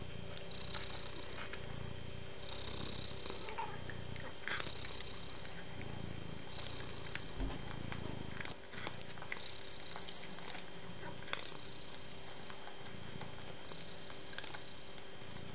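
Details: Kind, soft-natured cat purring contentedly, a throaty low vibration pulsing in steady inhale-exhale rhythm about every two seconds, with a brief pause midway and light clicks and hum in the background.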